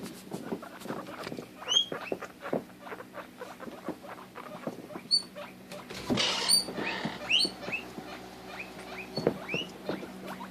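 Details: Domestic guinea pig calling out, said to freak out when she cannot find or see her sister; scattered short upward squeaks and chirps over a soft background hum, with a louder burst of rustling midway.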